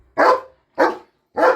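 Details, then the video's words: Three sharp, loud barks from a German shepherd, spaced roughly 0.6 seconds apart, each a brief rough burst with a quick decay and silence between. "German shepherd barking"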